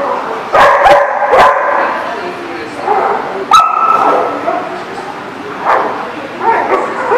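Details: Dogs at a barking lot on 29 January 2018 give scattered sharp barks, a cluster early on and single louder yelps near the middle and end, over a steady murmur of voices.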